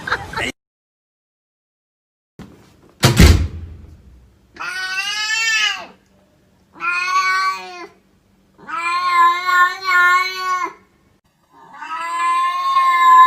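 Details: Pet cat giving four long, strained, harmonic meows separated by short silences, each held about a second or more, after a sharp thump and a brief noise burst early on; no other voices clear.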